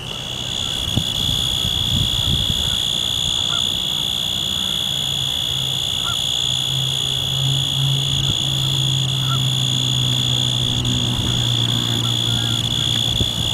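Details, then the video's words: A male Forbes' tree cricket (Oecanthus forbesi) gives a steady, unbroken high trill, with a low rumble of wind underneath and Canada geese in the background, on a windy 6 October 2014 at Danada Forest Preserve, Wheaton, Illinois. "Forbes' Tree Cricket stridulating at Danada in Wheaton [HD]"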